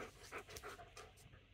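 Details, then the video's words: Pet German Shepherd anxious for its dinner and demanding food just before feeding time, panting in quick, breathy bursts roughly three per second over a faint room hiss. "My German shepherd is such a demanding doggo"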